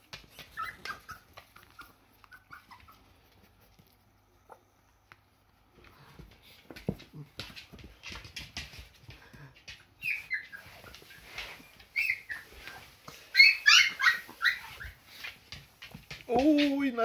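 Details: Hungry Siberian Husky puppies walking after their mother for milk: thin high squeaks and whimpers come in scattered bursts, growing louder and busier toward the end, closing on a strong falling whine over shuffling and rustling.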